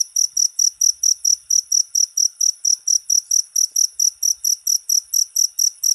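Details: Cricket calling with steady, high-pitched pulsed chirps, a little over two each second, and faint low taps in the background.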